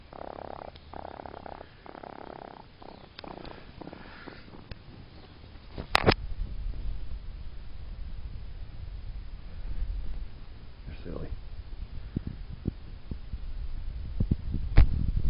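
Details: A pet baby raccoon purrs in a low, rough rumble while getting a foot massage, with a person speaking softly at the start, in the United States.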